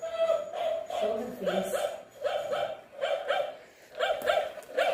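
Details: Shih Tzu fighting with a toy dog: steady series of short, fairly high yaps, about one every second, in a small room.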